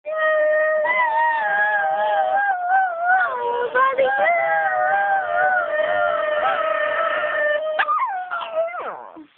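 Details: Shih Tzu dog howling along with another singer: a long, steady, wavering tonal howl held throughout, bending down and up in pitch, ending in a sliding falling whine.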